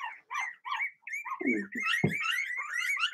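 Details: Several Blenheim Cavalier King Charles Spaniel pups, Remy's first litter, crying together in a home puppy pen. High yelps rise into a continuous wavering howl-like whine, with a few lower gruff barks beneath it partway through.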